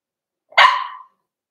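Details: Cavalier King Charles Spaniel puppy, four weeks old, kept indoors in a puppy pen with littermates and older dogs. One short, bright, high yelp of about half a second, clear against a silent background.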